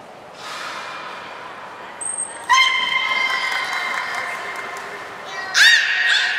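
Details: Nana, a beluga, training at Port of Nagoya Public Aquarium on 13 April 2019. A short high trainer's whistle comes before a sustained, buzzy, harmonic tone of about three seconds. A rising squeal follows, with visitors' chatter in the hall.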